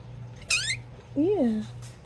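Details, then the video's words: Two quiet, short cat meows, the first a brief high cry and the second a lower arched call that rises then slides down, over a faint low hum in a small room. "Cat Meowing Sounds"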